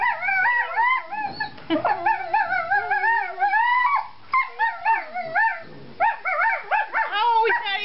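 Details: Four-month-old Treeing Walker Coonhound brothers Kirby and Hoover, both needing homes, trade choppy bouncing howls and whines in quick bursts, voices overlapping with wobbling pitch throughout.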